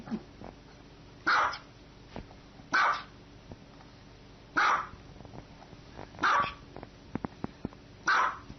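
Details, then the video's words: Domestic dog barking five times, single short barks repeated roughly every one and a half seconds at a fairly even pace over a low background hum. "Funny Dogs' Noises!"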